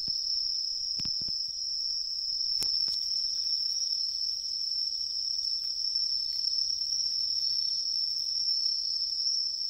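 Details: In riverside woodland in autumn, a tree cricket keeps up a bright, continuous high trill without pause, a few sharp knocks and clicks cutting in early on over the otherwise quiet background.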